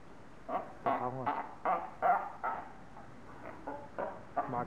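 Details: Captive seals at Zoo Augsburg, Germany, arguing loudly with each other: irregular bursts of hoarse, wavering cries and yelps, some with rising and falling tones, against faint background sound.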